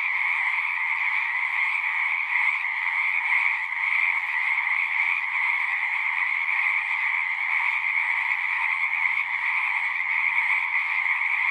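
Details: Frogs calling together at a pasture pond, taped on a Zoom recorder, form a ceaseless buzzing trill chorus of high and mid-pitched layers, with faint low rumbles drifting underneath in places.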